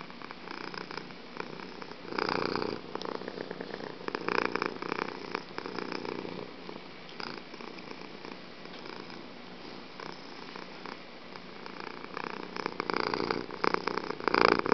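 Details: Fuji, a pet cat, purring very loudly indoors: a steady rumbling purr with pulsing bursts of louder breaths, swelling around two seconds and again near the end.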